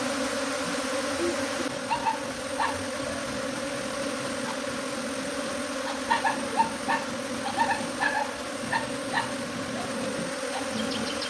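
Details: A western honey bee swarm leaving its hive for a tree gives a steady, low droning hum with layered overtones.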